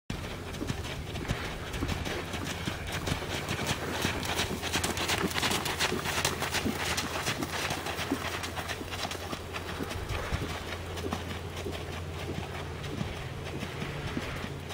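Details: Fourteen-year-old thoroughbred gelding, 16.2 hands, cantering quietly around an arena; steady muffled hoofbeats thud in a continuous rhythm over a constant low hum and broad rushing noise.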